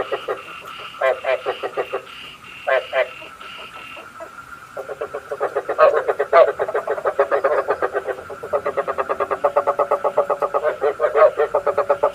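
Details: Frog croaks meant to attract frogs into night traps: scattered, fainter croak groups at first, then from about five seconds a dense, rapid pulsed chorus continuing to the end.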